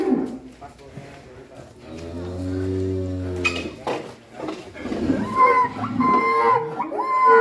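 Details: A fat cow gives one deep, drawn-out low moo lasting over a second, steady and resonant. Voices, clattering and music fill the surrounding moments.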